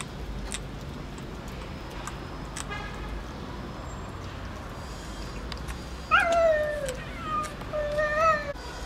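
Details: Stray kittens with their mother and aunt cat, living around workshops, give several rising and falling meows in the last few seconds, after a stretch of steady background hum with faint higher cries.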